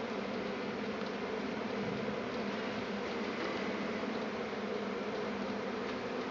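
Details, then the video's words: Swarming honey bees in Tasmania, an event that happens every year and came a week early this time, with bee boxes left nearby by a beekeeper; a dense, steady, unbroken hum of many wings throughout. "Bee Swarm in Tasmania"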